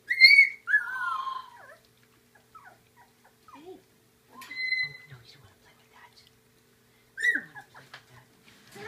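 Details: Labradoodle puppies at feeding time, eating puppy gruel, give high whistled whines: a strong falling squeal opening, a long level whine midway, then another sharp falling cry near the end, with faint shuffling between.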